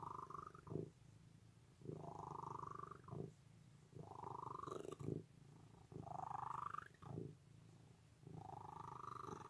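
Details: Cat's loud rumbling purr in regular waves, each louder phase brightening as it builds before dropping back, about five cycles in under ten seconds, with faint soft thumps.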